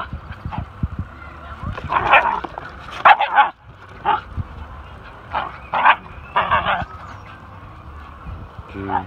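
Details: Dogs, a pinscher and a whippet, playing with a new friend; short yips and excited barks come in clustered bursts, with soft growling and a person's murmurs between them.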